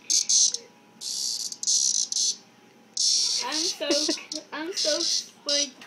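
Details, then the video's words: Cicadas held in a bag, collected for a bug project: loud buzzing bursts high in pitch, each lasting about half a second to a second, repeating in clusters, with a person talking over the later part. "Cicadas in a bag"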